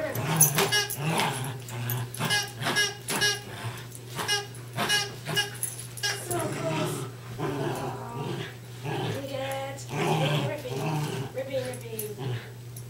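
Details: Two West Highland White Terriers, Darby and Riley, playing tug of war indoors: bursts of rough, throaty growling and whiny vocal sounds come in quick uneven runs, with a person talking over the play.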